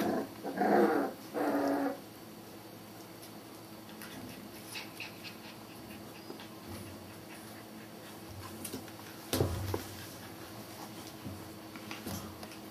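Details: Young Border Collie puppies from a litter of five at the Sakura Garden dog run, Okayama City, Japan, let out two loud, drawn-out harmonic whines in quick succession, then only faint scuffles and a low thump in a quiet room.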